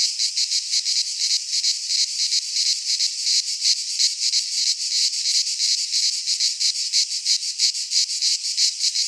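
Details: In a Greek pine forest at midsummer, many cicadas sing together: a shrill, grating buzz beating in fast, fairly regular pulses, about three per second, steady from start to finish.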